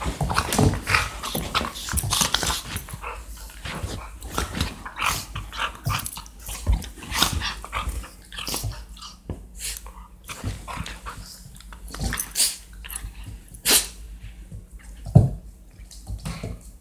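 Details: Labrador Retrievers, more than one dog, indoors in a small room, growling and snarling in rough bursts with mouthy biting noises and scuffling, louder snaps scattered throughout, the low rumble rising and falling irregularly.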